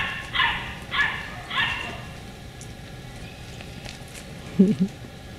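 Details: Three evenly spaced high yips from beagle puppies of the Camo and Buddy litter, dated 4/27/20, followed by a pause and a short burst of lower-pitched sound near the end, with steady background hum.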